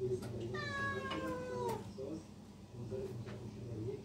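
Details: Domestic cat giving one long drawn-out meow that slides slowly downward for over a second, followed by a couple of short soft chirping mews, with a low background hum indoors.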